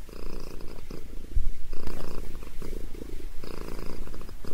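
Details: Domestic cat named Sabrina purrs as her head is massaged; continuous low throbbing purr pulsing in waves about once per second, close and loud, no other sounds.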